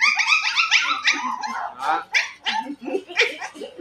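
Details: Rottweiler puppies at a kennel in Tay Ninh, Vietnam, a lively group yelping and barking; a rapid, overlapping burst of high-pitched yips and squeaky barks, several pups calling at once in an uneven stream.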